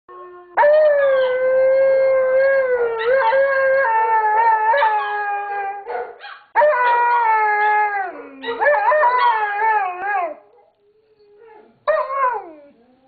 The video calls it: Smokey the Alaskan Malamute Howling Again